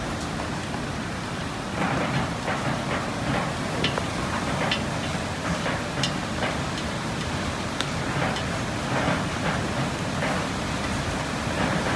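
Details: Steady heavy rain pattering on surfaces, with dense broadband noise and scattered sharp drips throughout.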